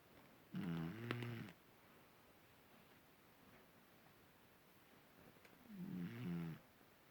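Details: Sleeping cat named Marisabel snoring indoors: two drawn-out, low, rasping snores about a second long each, roughly five seconds apart, with near silence between breaths.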